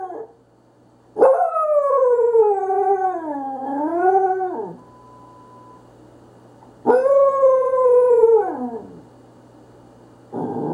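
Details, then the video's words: Nacho, a pet Corgi, howling at the phone: two long, wavering howls, the first about three and a half seconds sliding down then up, the second shorter and falling, in a quiet room. "Corgi Howl"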